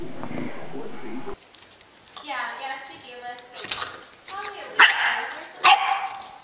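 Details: Dog from a funny dog compilation giving a wavering, harmonic whine that rises and falls, then two loud sharp barks about a second apart, with human speech at the start.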